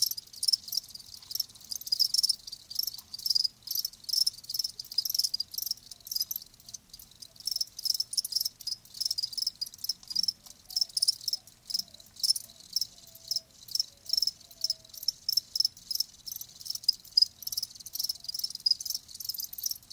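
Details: Live crickets producing natural sound: continuous fast trill of shrill high pulses, evenly repeated many times per second, very steady rhythm throughout.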